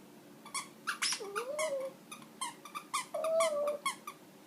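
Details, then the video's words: Shih Tzu puppy indoors whining while squeezing his squeaky toy; two thin, wavering whines rise and fall between rapid bursts of sharp toy squeaks. "Shih Tzu puppy dog Wolfy whining while speaking toy"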